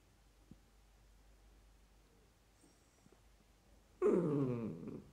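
A Dachshund puppy gives a single wavering, nasal whine, asking for more attention.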